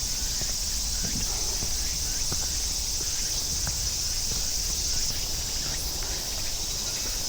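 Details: On a summer forest trail of the Namsan circuit in central Seoul, cicadas and crickets give a steady, high shimmering drone, with crunching footsteps along the path.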